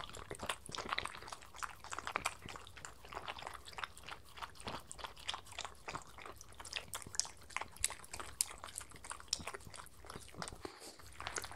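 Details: Miniature Schnauzer and Sheltie dogs eating breakfast from lickimats indoors; dense crisp crunching and clicking bites with licking and chewing, steady and overlapping throughout, recorded close for a quiet-room feel.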